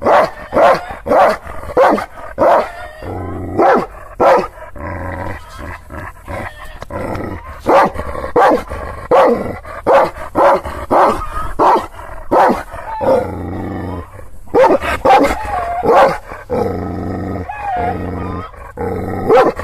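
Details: Angry Kangal shepherd dog, called Aksaray Malaklısı, in Anatolia, Turkey, barking at unfamiliar visitors. Loud, harsh barks come in uneven bursts of several at a time, with short pauses between bursts and a steady low hum underneath.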